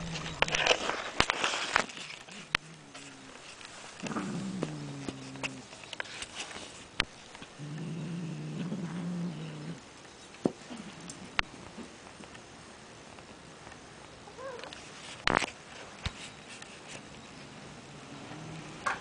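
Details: Female pet cat guarding a toy she refuses to let go of, low drawn-out growls rising into moaning yowls in several bouts, with rustling and handling noises.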